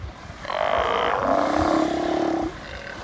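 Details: A Steller sea lion, one of a group in Prince William Sound, Alaska, on 17 August 2020, gives a long, rough, throaty, pulsed belching roar of about two seconds over faint background hiss.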